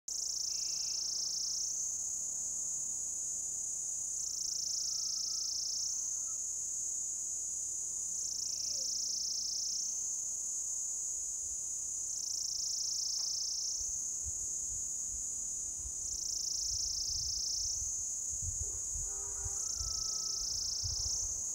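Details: Orange-coloured cicada calling to mate from an old lichen-covered deodar trunk in forest at Jabbarkhet, Uttarakhand, India; steady shrill high buzz whose pitch sags and rises again roughly every four seconds, with low rumbling thumps near the end.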